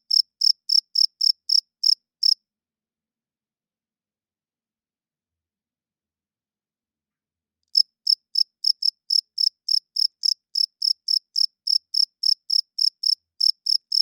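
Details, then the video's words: A cricket chirping at night in quick, high, regular pulses falls silent for several seconds, then resumes. "40 Minutes of Cricket Chirping Sounds - Cricket klinkt 's nachts luid"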